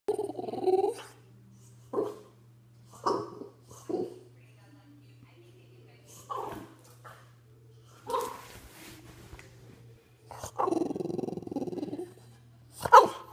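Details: A French bulldog grumbles and whines in short, throaty bursts in a fit after its ball rolled under the couch, with a steady hum behind.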